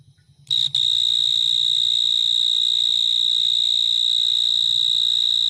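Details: Cricket chirping. The sound starts after half a second of quiet, then runs as a steady, high, shrill, continuous trill that holds one pitch without a break. There is faint low background rumble and no other animals.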